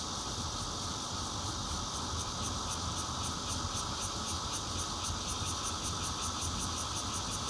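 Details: Intermittent song of a bear cicada, taped 16 June 2013 on a Nokia Lumia 820 at a fourth-floor home in Zhongli, Taiwan: an unbroken, piercing electric buzz with rapid rhythmic pulsing up high, and faint traffic rumble below.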